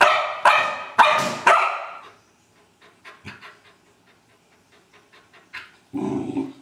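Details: Old English Sheepdog playing with a trash can: three loud rough barks in quick succession, then a run of soft knocks and clatters, ending with a broad noisy burst.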